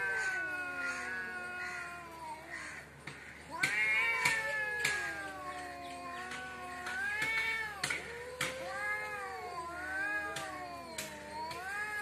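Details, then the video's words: Cats squabbling outside a home trade repeated wavering yowls, each rising then sagging in pitch, several overlapping in a tense back-and-forth over about twelve seconds, punctuated by short sharp clicks. "cat fitting l বাড়ির সামনে বিড়াল এর jhokra dekhao sobai"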